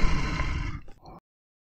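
A bear gives a deep, rumbling roar that fades into a brief, breathy growl.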